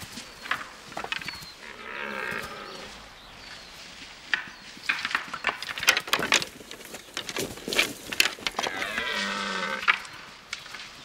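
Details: Red deer stags in an Eastern European broadleaf forest give deep, drawn-out roars at the onset of the autumn rut as rival males compete for females.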